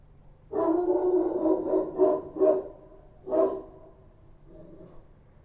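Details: Street dogs in Kabul, Afghanistan, called Kochi dogs, barking at night: a run of rough overlapping barks followed by one louder bark and a fainter trailing one.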